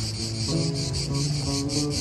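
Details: Cicadas keep up a steady, high, pulsing buzz at night over soft background music.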